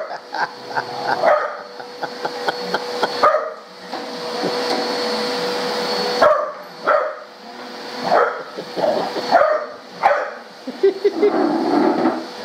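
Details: Pet dog barking at a running vacuum cleaner indoors: short sharp barks in irregular bursts over a steady droning motor hum, with louder separate barks spaced every second or so in the later half.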